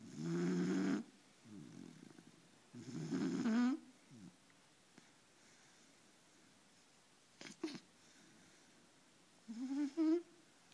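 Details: Deep-sleeping four-month-old puppy snoring indoors: two rough, buzzy breaths early on, then a long quiet stretch broken by a brief snort and a final pair of short, rising, whiny snores.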